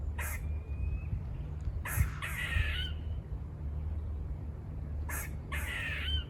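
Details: Squirrels by a farm giving harsh buzz-like barks: brief rasping bursts in pairs, separated by a quiet gap, with a thin steady whistled tone and low droning background noise.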